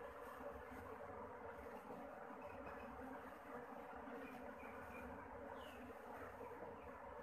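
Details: Honeybees swarming busily around their new home on a bee farm, making a thick, continuous droning buzz with a faint rising whine near the end.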